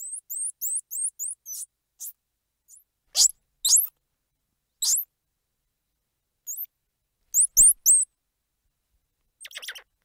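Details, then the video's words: Squirrel monkey giving very high, thin squeaky chirps: a quick run of short up-and-down swept peeps at the start, then scattered sharp squeals and brief clicks separated by silent gaps, with a quiet background. "Squirrel Monkey Sound | Squirrel Monkey Squeals | Squirrel Monkey Noises | Squirrel Monkey Chirps"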